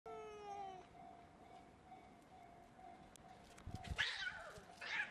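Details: Fighting cat defending its territory, opening with a short harmonic yowl that slides slightly downward, then a steady hum, followed by harsh hissing scuffle bursts near the end.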